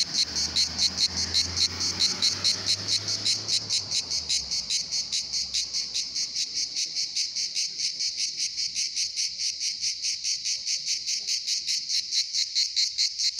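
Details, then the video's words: Many cicadas singing in summer at Pitsunda, Abkhazia: an unbroken, shrill, buzzing drone pulsing steadily about twice a second, with a low engine-like hum fading out early on. "Поющие цикады курорт Пицунда Абхазия"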